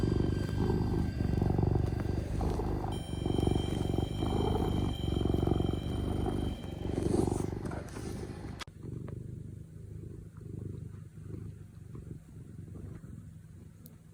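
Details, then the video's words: Domestic cat purring while kneading: a low, rumbling purr pulsing about four times a second for the first half, with a faint high hum, then a quieter, softer purr after a sudden cut. "Cute cat purrs and biscuits montage"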